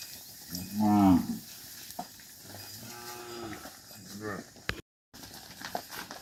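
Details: Tame cattle being herded back to a farm pen: one loud harmonic moo near the start, followed by softer, lower moos and a brief break, with faint rustling in the background.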